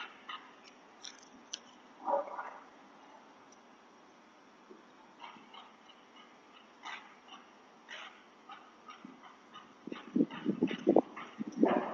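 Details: A house dog barks while chasing a delivery person outside. A single bark comes near two seconds, then scattered faint sounds, and a run of louder, sharp barks in the last two seconds.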